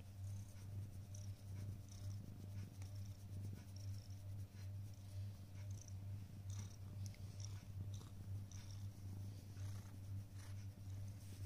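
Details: Simba, a pet cat waiting on a prayer mat indoors, purrs steadily in a deep continuous rumble that swells and eases with each breath, with light rustling and soft clicks above it.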